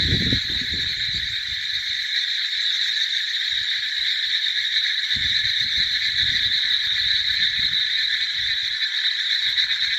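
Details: Many frogs call together in a steady, shimmering high chorus without a break, accompanied by scattered low rumbling bursts at the start and midway through.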